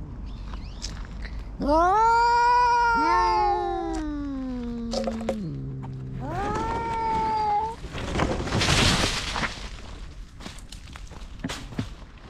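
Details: Cat fight as a grey tabby-and-white cat chases an orange tabby intruder from its territory: long, wavering yowls swell and sag in pitch for about six seconds, then a harsh hissing burst and scattered scuffling noises follow.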